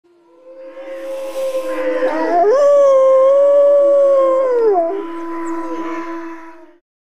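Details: Gray wolf (Canis lupus), howl.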